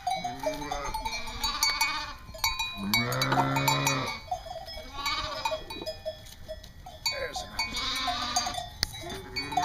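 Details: East Friesian dairy sheep on a North Carolina breeding farm: several wavering, harmonic bleats, one long and loud near the middle, with background music playing throughout.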